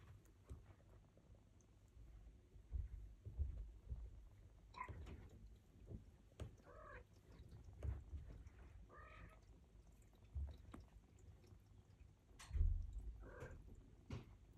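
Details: Turkish Angora kittens at feeding time give a handful of short, harmonic mews spaced a few seconds apart, set against steady low chewing and handling noises.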